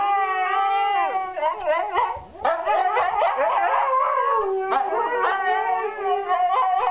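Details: Pair of Siberian Huskies performing their daily duet, a routine they enjoy; steady howls break into choppy, yodelling yips and wavering glides, both dogs vocalising together almost without pause.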